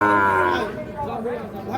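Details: Sahiwal bull calves at the Ambari cattle market in Parbatipur, Dinajpur, on 26 March: one loud, harmonic-rich moo lasting about half a second, followed by softer overlapping lowing and faint crowd chatter.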